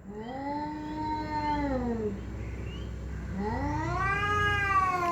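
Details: Pet domestic cat yowling during a fight with another cat hidden under a car: two long, loud, drawn-out wails, each rising then sliding down, the second starting after a short pause and climbing higher, over low background rumble.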